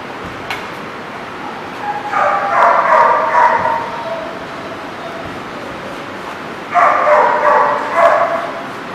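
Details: Dog barking recorded 20 November 2017: two dense bursts of rapid, harsh barks, the first lasting about two seconds and the second about two seconds after a quiet gap, over a constant hiss of background noise.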